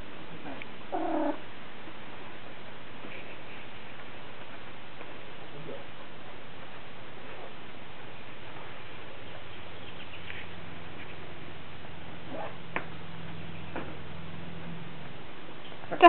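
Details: Stormy, a female lynx point Siamese cat in heat, calls to Dobby the ferret indoors. A short harmonic yowl near the start gives way to long stretches of low hum and faint household noise.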